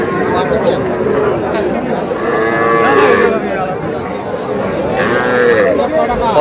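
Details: Small calves at the traditional Aftabganj market in Dinajpur, Bangladesh, during Saturday trading. Two wavering moos rise around three and five seconds above constant crowd talk and haggling over prices.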